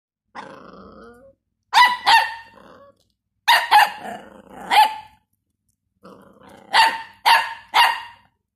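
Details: Jack Russell female aged 12 and a three-month-old male Dachshund puppy together. Three bursts of two or three sharp, harmonic-rich barks, each group preceded by a softer, lower whine-like growl, with short silent gaps between bursts.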